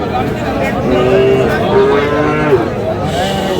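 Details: Sahiwal bull calf at a livestock market in Aftabganj, Dinajpur, lowing during trading at the start of the market day, 13 June; a steady, level moo of about a second and a half, with crowd noise and talk behind.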